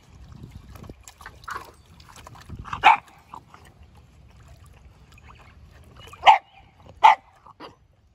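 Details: Keeshond at a backyard pool on its first pool experience, sharing with a Boston Terrier; a few short, sharp barks scattered across the clip over splashing and trickling water.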